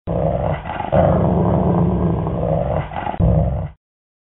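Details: Dog growling: a continuous low, rough rumbling growl lasting about four seconds, with a brief break and renewed louder surge near the end, no other sounds.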